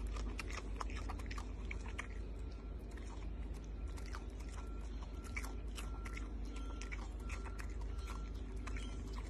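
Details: Carrot being chewed by a Malayan tapir: dense, continuous crunching with rapid, uneven bites and wet grinding, set against a constant low-pitched background drone.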